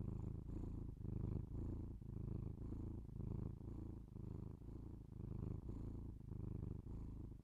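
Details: Domestic cat purring indoors, recorded binaurally up close: a steady low rumbling purr in rhythmic swells, each inhale and exhale cycle lasting roughly half a second to a second, with no other clear sounds.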